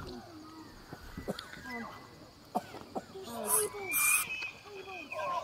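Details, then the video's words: Free-range bull elk bugling during the September rut at the Elk Viewing Area on the Missouri River, Charles M Russell National Wildlife Refuge, Montana, where hundreds gather to breed; a high whistled rising tone with harsh bursts over many lower wavering calls from other elk. "Giant Bull Elk Bugling in Montana"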